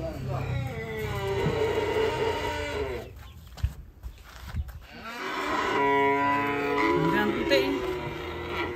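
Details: Cattle coming down off a truck give two long, strained moos, each lasting about three seconds. A brief pause of knocks and thumps separates them.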